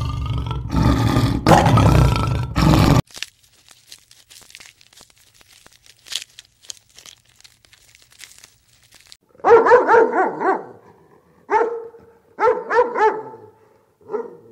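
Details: Farm dog barking in short, sharp bursts grouped in quick clusters after a quiet stretch, preceded by a loud noisy blast of other sound at the start.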